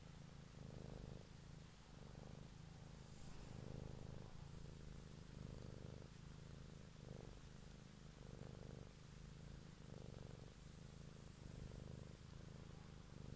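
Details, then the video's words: Evening ASMR recording of a cat's purr: rich, low, continuous rumbling with rhythmic breathing pulses about every 0.8 seconds, steady throughout with no other clear sounds. "ASMR Cat song"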